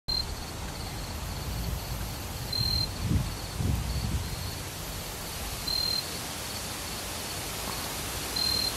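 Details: Jumping bush cricket singing from an oak tree in southern Iowa: brief high pure chirps repeated every two to three seconds, with fainter ones between, over steady broadband outdoor noise and some low rustling.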